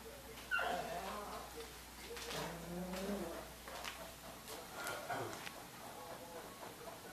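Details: Dog at its house giving high, whining yips: a sharp cry near the start, then wavering, tonal whimpers that bend up and down, with a quiet indoor room behind.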